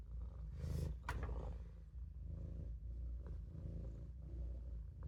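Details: Napping in the sink, the Maine Coon Olof keeps up a low rumbling purr, interrupted early by a couple of sharp clicks or knocks, then settling into an even drone.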